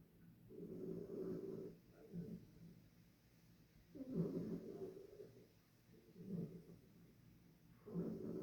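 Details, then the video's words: Harriet the dog snoring in her bed: low, throaty snores repeat roughly every two seconds, each a rough rumbling breath, with quiet gaps between. "Harriet Volmar the dog snoring in her bed"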